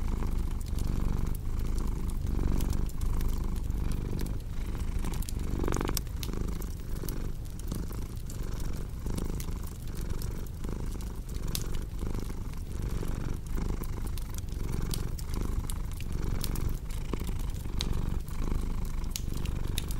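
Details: Long stretch of a cat's relaxed purr, a dense low rumble cycling with each breath, accompanied by the snapping and popping of a cozy fireplace.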